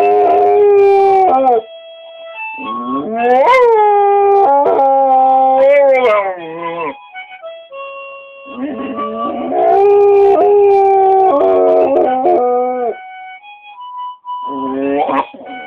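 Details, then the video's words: Pet dog howling along with a simple harmonica tune, long wavering howls blending with the sustained harmonica chords in two main phrases, separated by short pauses. "the dog singing with harmonica"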